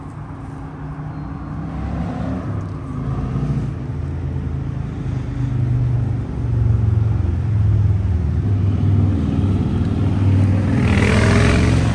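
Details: Steady low rumble of passing vehicles outdoors, swelling louder toward the end with a hissing rush, and no barking or other animal sounds.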